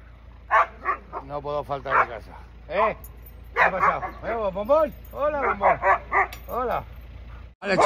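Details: Siberian Huskies at home greeting their returning owner, scolding him for leaving; Bombón is among them. Drawn-out, wavering, harmonic moans rise and fall in short arched bursts, interleaved with a man's voice greeting the dogs in Spanish.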